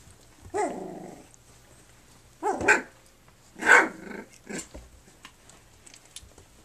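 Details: Flute's puppies on their three-week birthday, nursing and playing: four short, rough growling barks with gruff, noisy bursts spaced a second or so apart, the first dropping in pitch, then fading to quiet room hush.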